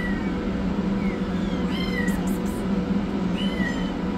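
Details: Rescued kitten, yellow, running for food, with a black kitten under treatment; a few thin meows, one bending sharply downward near the middle, plus brief clicks, over steady low hum.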